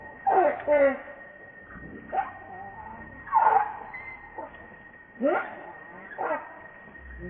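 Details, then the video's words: Baby monkey RainBoww crying to its mother for milk: a series of loud, wavering, harmonic squeals, each under a second, at irregular intervals of about one to two seconds. A steady high tone runs throughout. "Baby Monkey RainBoww Asking Milk Mom"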